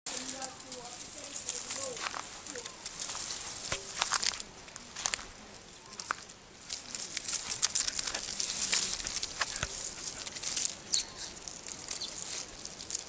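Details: Big lace monitor goanna in the Australian bush near a camp, angry and feeling cornered, giving harsh, breathy broadband hisses in uneven bursts across the recording, with faint bird chirps low in the background.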